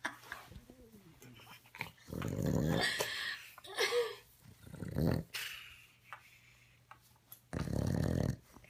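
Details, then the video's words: Sleeping dog snoring, with low, rasping snores in bursts roughly every two to three seconds. A man's voice speaks softly near the beginning. "My snoring dog"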